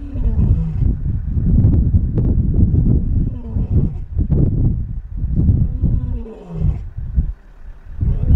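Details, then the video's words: Lion 'Mfowethu', one of the Shish Brothers coalition, walking down a road near Satara Rest-camp and calling for his brother Casper the White Lion. Deep, rumbling roars and grunts come in repeated bursts, with low vehicle rumble underneath. "Here Comes 'Mfowethu' Looking And Calling For Brother 'Casper The White Lion'"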